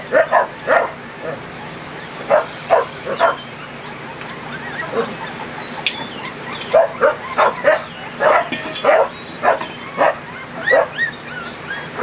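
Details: Kerry Blue Terrier puppies from Brandy's litter, 20 days old, on their first day outside in a play area on June 20, 2014, giving short, bright yips and squeaks in irregular bursts, with a few quieter gaps between clusters.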